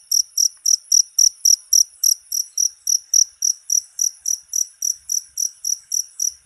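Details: Rat-repelling cricket sound: a persistent series of thin, high-pitched chirps at roughly four per second, loud and regular, with faint soft clicks underneath.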